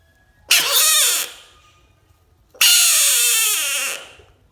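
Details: Screaming bullfrog gives two long, harsh, harmonic wails, the second longer at over a second and slowly dropping in pitch at the end, like a yowling cat, with near silence between the cries.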